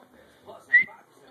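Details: Spock the dog gives a single short, high, thin whine that rises slightly and holds for under a second while reacting to a squirrel that is not there. A quiet voice urges him to stop moving just before, with faint breathing around it.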